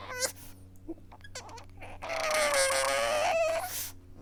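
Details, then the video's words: Weeping pug recorded close up in a small room: a few soft sniffs and clicks, then a long, high, nasal whine that holds steady, wavers slightly, and rises at the end before cutting off. "Adorable Pug weeping"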